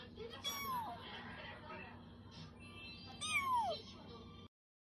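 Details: Small rescued kitten, newly arrived at home and perhaps hungry, giving two thin high meows that slide downward, spaced about three seconds apart, over faint background noise.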